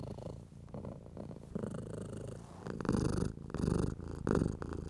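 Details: Stroked domestic cat purring contentedly; low, uneven rumble that grows louder toward the end, joined by brushing strokes over fur in short bursts.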